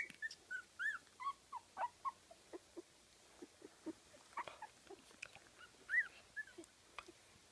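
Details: Fifteen-day-old Kooikerhondje puppies in Sweden whimpering: thin arched squeals and short whines repeated roughly every half second, some rising then dropping, quiet and close.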